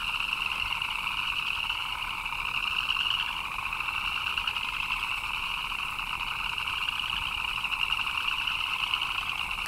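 Many frogs call at once, their high chirps blending into a continuous, shimmering chorus. The hiss of steady rain runs underneath throughout.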